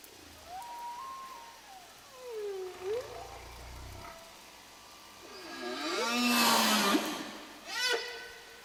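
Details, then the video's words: A whale sings in long tonal moans that swoop up and down, with brighter upswept cries; this is the whale-song recording by marine scientist Robert Payne that was issued with National Geographic in 1979. "그 소리를 한번 잠깐 여러분이 들어보시기 바랍니다. 고래가 내는 소리입니다."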